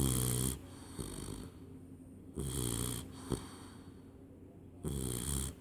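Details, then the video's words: A Labrador puppy of 12 weeks sleeps through the evening, snoring. Deep, rough inhaled snores repeat roughly every two and a half seconds, three in all, with soft, low breaths in the pauses. "Labrador puppy 12 weeks snoring!"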